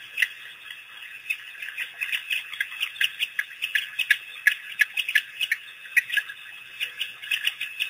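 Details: Pack of African painted dogs at Pete's Pond, April 5, 2008, on its first visit after release by researchers. Shrill bird-like squeaks repeat rapidly and unevenly, several voices chattering together.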